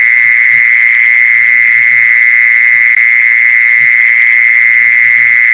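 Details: Steady mole cricket song for luring mole crickets: one continuous shrill buzzing note held without pause, a faint higher tone above it, and occasional soft low knocks beneath.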